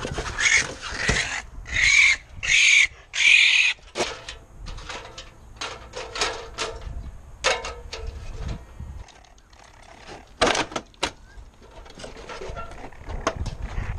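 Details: Young raccoons, whose mother was previously removed, respond to calling for removal with harsh, screechy squeals in quick bursts, followed by scattered raspy chatters. Raccoon.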